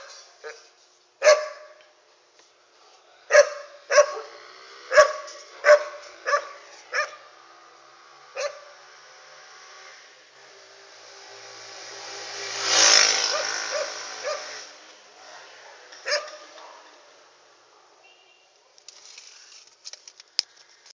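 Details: A dog barks at night, recorded on an Android phone: about nine short sharp barks in the first eight seconds, then quiet, a swelling rushing noise midway, a lone bark later, and faint clicks at the close.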